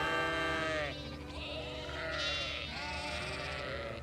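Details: Herd of goats with kids, several animals bleating at once in long wavering, quavering cries that overlap, some higher-pitched, over a low steady hum.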